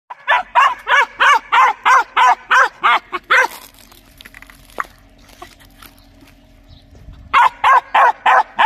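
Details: Dog barking loudly in a rapid, regular series of harsh barks, about three per second, then a pause with faint rustling and a click before another burst of repeated barks.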